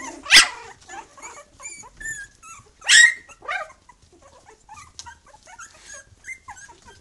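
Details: Three-week-old puppies from a litter with their mother Bhoomi, loudly vocal: two strong yelps about two and a half seconds apart, with thin high whines and squeaks around them and soft scuffling.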